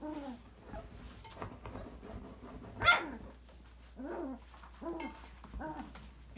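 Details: Five-week-old Australian Labradoodle puppies from Autumn's December 2020 litter, playing and exploring in an enrichment playground: a run of short, wavering whines, one sharp loud yip at mid-clip, then more bent, falling whimpers over faint clatter.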